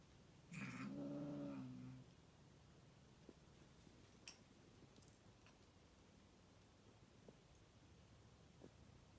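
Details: Domestic cats on a play date indoors; one low, harmonic growl-like call lasting about one and a half seconds, then quiet room with faint clicks and taps.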